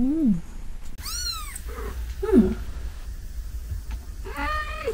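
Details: A kitten about four to five days old, whose umbilical cord has just fallen off and which is probably a Munchkin, gives thin, rising-and-falling mews while being made to cry, with a few quiet human words nearby.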